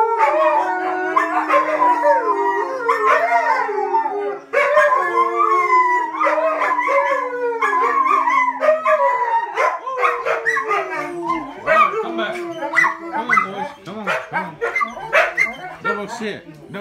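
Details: Mid-content wolf dog hybrids, aged five and seventeen months, joined by a husky, howling in chorus after a siren breaks into training; long sliding howls over a flat steady tone give way to choppier yips and sharp clicks.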